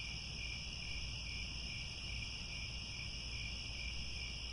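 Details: Crickets chirping at sunset in the grasslands by Angkor Wat, Cambodia: a steady, unbroken high shimmer in several layered pitch bands, with a soft low rumble underneath.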